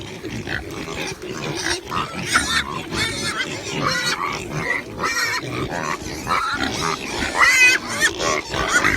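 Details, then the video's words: Several pigs grunt and oink steadily throughout, with occasional higher, wavering squeals breaking through a noisy, crowded chorus. "Animal sounds: CAT, Chicken, Horse, Pig, Duck, Giraffe"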